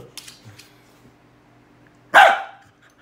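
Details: Pet dog barking at its cow hoof indoors: faint rustling and soft sounds early on, then one sharp, loud bark near the end that fades quickly.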